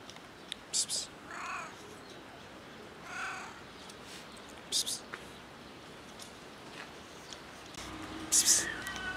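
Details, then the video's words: Cat rolling on someone's car and voicing weird sounds: two short harmonic meows a couple of seconds apart amid scattered clicks and scrapes, then louder rustling and a sharp hiss-like burst near the end. "Cat rolls on someone's car and making weird cat sounds!"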